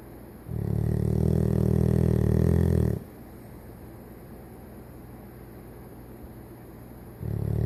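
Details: Sleeping Golden Retriever Toby, aged 14, snoring contentedly when tired; a deep, droning snore of about two and a half seconds, a pause of about four seconds, then the next snore beginning, against low indoor hum.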